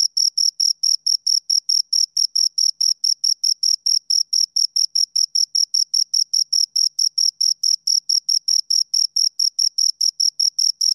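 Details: A pair of crickets keeps up a relentless, even rhythm of high, scraping chirps, a little over two per second throughout, against total quiet.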